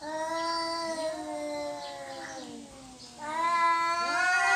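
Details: Cats disputing territory, a long steady low yowl that fades, then a louder rising wail with a second cat's voice overlapping.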